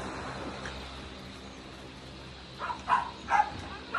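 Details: A Basenji in Indonesia gives a quick run of short, yelping calls after a quiet start.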